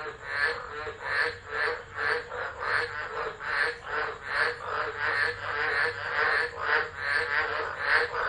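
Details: Stormy December night chorus of tropical frogs, Driver, Northern Territory, Australia, 2013, recorded on a phone left alone; many callers produce buzzy, rattling croaks in rhythmic surges, over steady rain-like hiss.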